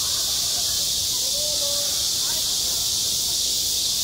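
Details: Cicadas calling in high summer at a school playground: a dense, unbroken high-pitched hiss fills the air without pause, while faint, distant voices drift underneath.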